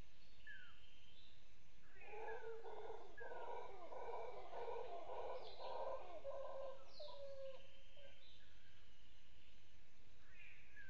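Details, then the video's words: Nearby off-camera howler monkeys give a deep, rolling roaring chorus that swells for several seconds, with birds chirping and whistling over it, in the morning on Isla Boca Brava, Chiriquí, Panama, on March 20, 2018. "Howler Monkeys Vocalize Loudly During Morning Displays"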